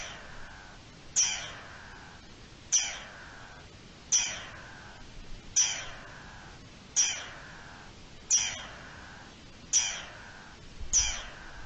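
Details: Garden dormouse giving alarm calls, recorded 3 April 2021: sharp, harsh calls that drop quickly in pitch, repeated roughly every 1.4 seconds, eight in all over a quiet background.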